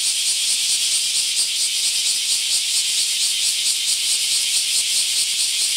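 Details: Bear cicadas in a mass emergence at a park in Akashi, Japan, filling the air with a dense, shrill, unbroken buzzing chorus that throbs with a faint, quick pulsing throughout.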